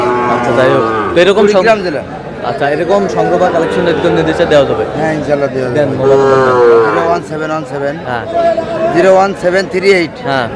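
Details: Sahiwal breed bull calves at a crowded livestock market in Kurigram, Bangladesh, 3 March 2026. Several long, harmonic-rich moos stand out against constant human talk and market bustle.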